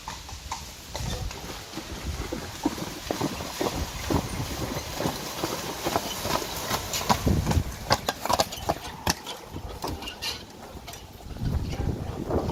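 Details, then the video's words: Pair of Friesian horses in harness, trotting a carriage through water on June 29, 2019; a steady stream of sharp splashy hoof strikes and spray, with faint voices in the background. "Trotting through the water with 2 Friesian horses in front of the carriage."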